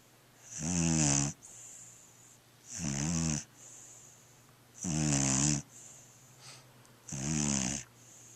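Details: Sleeping little black dog named Natasha sawing logs: four long raspy snoring inhales about every two seconds, each trailed by a quiet breathy hiss, a faint steady hum underneath.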